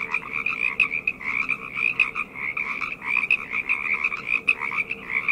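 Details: A nighttime frog chorus of many callers, rapid rattling trills and croaks overlapping in pulsing bursts without pause, over a faint steady background hum.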